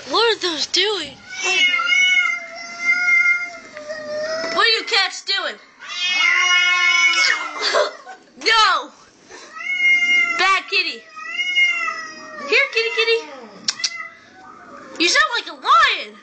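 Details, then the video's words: Two cats that jumped into a gutter, yowling at each other: long wavering, rising and falling wails, harmonically rich, overlapping in drawn-out bouts with short pauses, harsh and nasal throughout. "Cats making weird noises"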